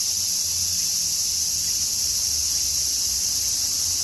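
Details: Tokyo cicadas singing on a summer afternoon before a typhoon: a steady wall of high, hissing trill that never pauses, with a soft low hum in the background.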